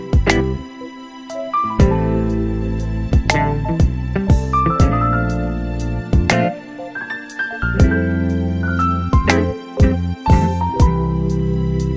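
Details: Slow, tender instrumental music with sustained bass notes and melodic phrases, and no animal voice.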